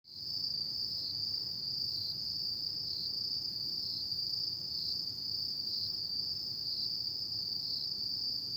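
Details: Autumn insects at night, a continuous high trilling chorus that barely wavers, with faint periodic dips every half second or so; a low rumble of background noise sits underneath throughout.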